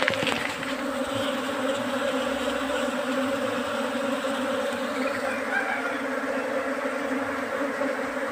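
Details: Honeybee colony that has moved into a trap box kept for beekeeping, producing a continuous, even, droning buzz of many bees throughout, with no other clear sounds.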